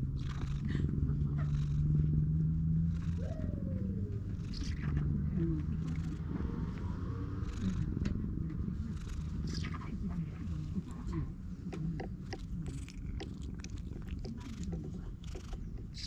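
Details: Stray cat basking in the sun on an engawa veranda while its face and head are tickled, filmed on a GoPro HERO8; a steady, low rumbling purr runs throughout, with scattered rustling and a faint human voice.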